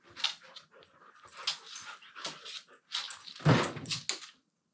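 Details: Pair of Siberian Huskies at play in a room, one vocalising in its low talking voice: a run of short moaning, whining syllables with pauses, ending in a louder, deeper grumble before falling silent.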